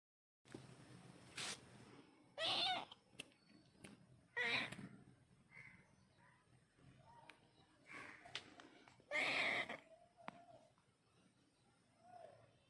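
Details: Domestic cat meowing in three loud drawn-out calls near 2.5, 4.5 and 9.3 seconds, with quieter short mews and scattered clicks and rustles between them in a quiet room.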